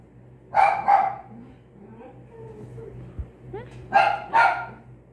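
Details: Australian Shepherd puppy, a 12-week-old female, giving two short high barks in quick succession, then a soft whine and another pair of sharp barks; a woman speaks softly nearby.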